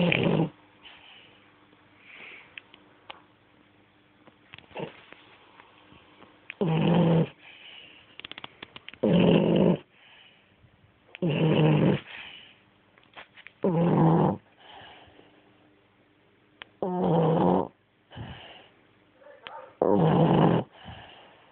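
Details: Snoring French Bulldog called Ferrero: rough, throaty snores recur about every two and a half seconds, separated by softer wheezy breaths and small snuffles.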